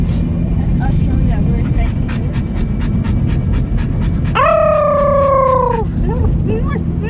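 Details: Dog yodeling in the car holds one clear, steady, slightly falling howl of about a second and a half, followed by a brief wavering note over road rumble.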